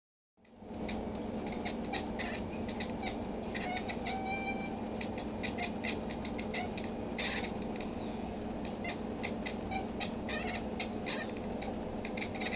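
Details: Oliver, formerly Nate, a former PAWS of Coronado cat living with his new family, in a talkative mood and growing expressive after spying a hummingbird; brief harmonic meows and chirps scattered over a steady low household hum.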